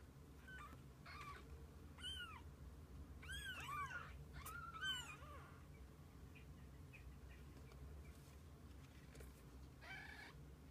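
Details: Mews from kittens kept with their mother cat: a cluster of high, bent, slightly overlapping calls during the first five seconds, then scattered fainter mews and one last call near the end, over a constant low rumble.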